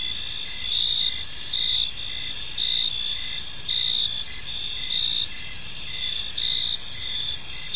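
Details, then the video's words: Gentle chirping of crickets in a park at evening: dense, sustained high trilling plus evenly spaced short chirps, the whole chorus swelling slightly and falling back every second or so. "Cricket Sounds in a Peaceful Park"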